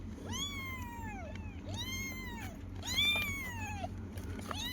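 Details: Kittens answer their owner with a run of four high, arching meows that slide up, then down, spaced roughly a second apart, over a low indoor hum.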